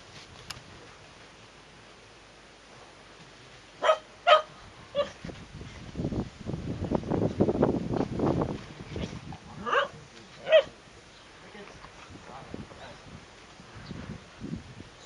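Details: Shetland Sheepdog named Sora, distracted by treats kept in a pocket, lets out a few short, sharp barks spaced several seconds apart, with a stretch of low rustling and handling noise in between.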